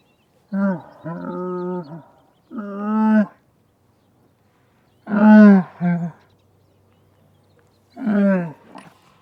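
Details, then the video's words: Camel letting out long, low moans: four groaning, harmonic bellows of one to one and a half seconds each, some wavering or breaking into two pulses, separated by short silences. "Camel Lets Out a Long Moan"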